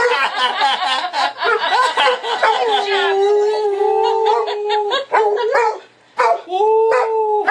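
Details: Pet dog howling whenever the phone rings: starts with choppy yips and barky notes, then settles into a long steady wavering howl, followed by short broken calls and a final held howl.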